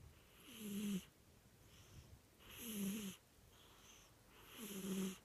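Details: Loud cat snore: rough, wheezing breaths about every two seconds, each rising to a buzzy peak with a low whistled, warbling tone before cutting off sharply.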